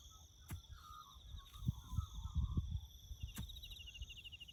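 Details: Crickets chirp in the bush as a constant high pulsed trill with a higher band, joined by a brief warbling bird phrase, amid low rumbles and knocks of farm roadwork.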